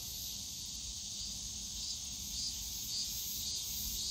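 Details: Cicadas in Yongsan Family Park's bamboo grove on a summer day: a steady high buzz with soft rhythmic pulses roughly every half second, over quiet low background noise.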